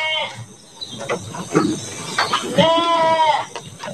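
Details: Garut sheep in a luxurious pen, prepared for Qurban 2024, with a man talking over most of the recording before one clear quavering bleat lasting under a second near the end.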